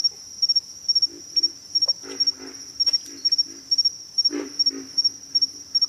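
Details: Pig frogs grunting: short, low, rough grunts in quick clusters of two or three, repeated over and over, while a steady high insect trill hums throughout.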